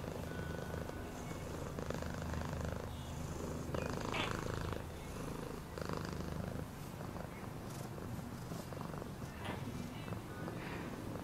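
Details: Long steady purr from a cat, a rapid low throb in the rumble with slight swells in loudness, accompanied by intermittent rustling and small clicking noises.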